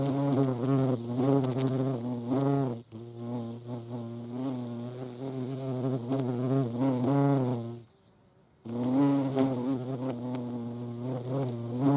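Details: European hornet at a feeding place in the Eifel, Germany: a deep, continuous buzzing drone with wobbling pitch, briefly fading near the eighth second before resuming strongly.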